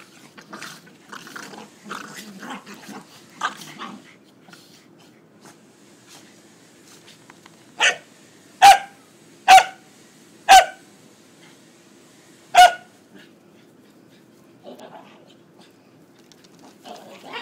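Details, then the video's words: Two pet corgis playfighting indoors: scattered soft growls and scuffling in the first seconds, then a run of four sharp, loud barks about a second apart, one more bark after a pause, and quieter grumbling at the end. "Fighting corgis"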